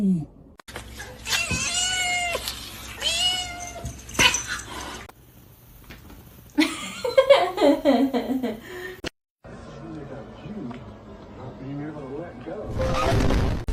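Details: Domestic cat giving two long drawn-out meows with falling tone in the first seconds, then a short cry and a rising, wavering yowl amid clatter, with people talking, laughing and snorting around it.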